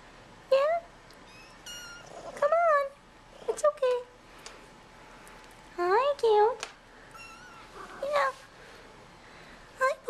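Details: Hungry bottle-fed kittens coming out of their nursery tent for dinner, several males first; a run of about ten shrill, wavering mews, some overlapping, with quiet human speech between them.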